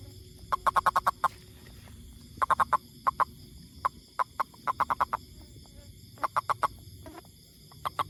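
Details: Repeated bursts of rapid, knocking clicks from a toad, each burst of four to six notes separated by short pauses, with occasional single clicks between, against a soft continuous high hum.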